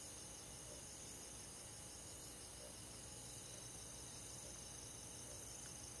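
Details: Crickets with other forest insects chirping on a summer night in the countryside: dense, high, ringing trills and quick repeated pulses, low and steady, a faint low hum beneath.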